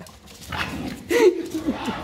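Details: English Bulldog Enzo pawing at a bag of mandarins he wants, giving a brief tonal whine that slides downward, amid soft rustling and faint background sounds.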